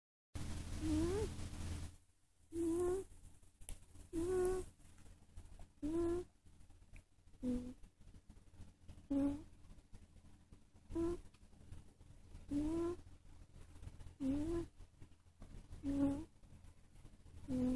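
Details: Domestic cat asleep, breathing with soft, squeaky, slightly rising whistled notes on each breath, repeated about every one and a half to two seconds over a faint low hum.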